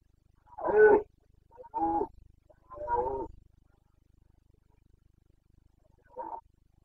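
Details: Carpathian red deer stag roaring during the autumn rut in Bucovina, Romania, 29 September 2022; three strong, hoarse roars spaced about a second apart, then a shorter, fainter one after a pause.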